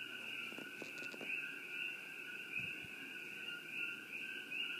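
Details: A dense night chorus of many coqui frogs, their bright, high two-note whistles merging into two steady, shimmering tones that never pause, with a few faint clicks and knocks near the start.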